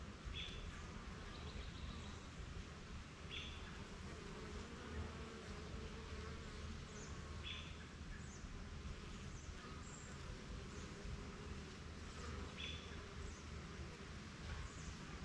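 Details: Backyard beehive with honey bees busy at work, making trips to gather pollen and back; continuous low humming drone throughout, with short high bird chirps breaking in every few seconds.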